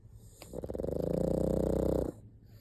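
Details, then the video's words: A pug lets out a single drawn-out snore, a rough rattling flutter about a second and a half long that swells and then stops abruptly, with low hum beneath. "パグ いびき"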